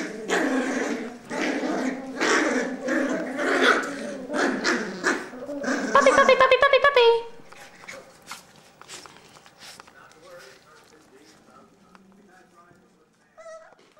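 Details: Cavalier King Charles Spaniel puppies, four of them, play-fighting over a sock inside a house: rough, rumbling growls in rapid bursts for about seven seconds, then a quieter stretch with scattered small squeaks and rustling.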